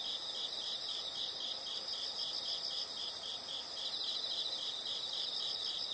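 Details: Insects heard as a steady high-pitched chorus, pulsing about three times per second, with a broad soft hiss of ambient noise underneath.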